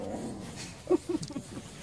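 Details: An adolescent ocelot (Leopardus pardalis) at the Parque Zoobotânico de Teresina, up on a branch, gives a few short, low mewing notes in quick succession, each under a quarter second, against a quiet background.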